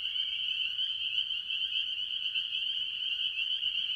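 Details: Early in the year at a farm pond, a dense chorus of tree frogs, mostly spring peepers, gives high shrill peeps blending into a steady, ringing wall of sound.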